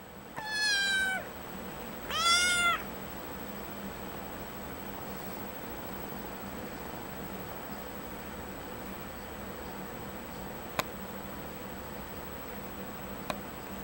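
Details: A sleepy pet cat indoors gives two drawn-out, wavering meows in the first three seconds, each rich and tonal with a slight falling bend. After that there is only quiet room hiss and a single sharp click.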